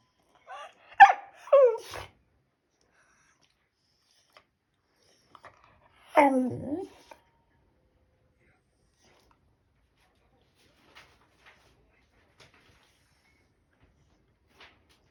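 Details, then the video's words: Shiba Inu dog talking to its owner indoors, giving a short run of wavering, whiny yodel-like vocal sounds near the start and another drawn-out groaning vocalization around six seconds, then near silence with faint clicks. "柴犬 話しかけてくる"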